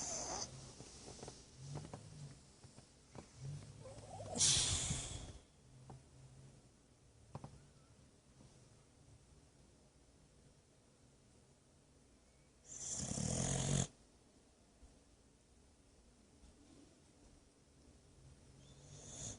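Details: Cruz, a pet Boxer dog, asleep and snoring after a busy day at the park, described as snoring like an old man; low rumbling breaths with soft nasal snorts, interrupted by two loud broadband bursts of noise near five and thirteen seconds.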